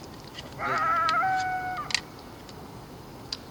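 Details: One of several coyotes surrounding a lone person from a distance at about 6:20 p.m. on 10 January gives a brief, clear howl that wavers high, then settles onto a steadier, lower note; the coyotes later come closer.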